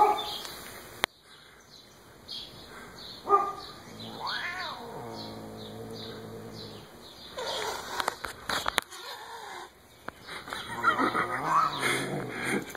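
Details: Siamese cat attacking a rabbit named Buster: a drawn-out, wavering yowl with strong overtones that rises and then holds, amid scuffling, rustling and clattering noises.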